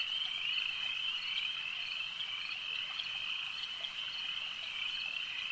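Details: A steady wall of high, rapid frog trills from a lake, many callers overlapping, with faint brief accented notes rising above the even drone.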